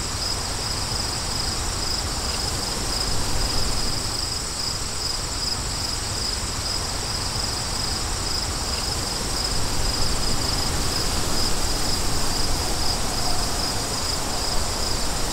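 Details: A long run of rapid, regular cricket chirps, high and pulsing, continues throughout while wind roars low and swells louder toward the end.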